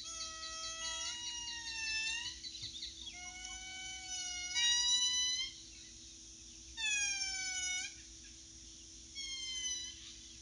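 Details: An indri, the largest lemur, calls in a Madagascar forest with long, wailing tonal notes that swoop and slide over a steady low hum.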